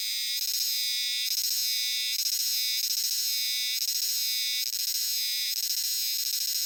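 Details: Euterpnosia chibensis cicadas in a large chorus in dark shrine and temple woods in Japan: a dense, shrill, buzzing drone that swells and dips in repeated waves about once a second, like "jiwa jiwa", with no other sounds.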